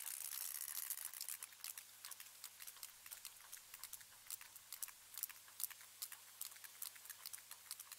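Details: Sperm whales (Physeter macrocephalus) socializing, several whales creaking at each other, some near and some farther away, in rapid broadband click trains; creaks mean homing in on prey or getting a high-definition view.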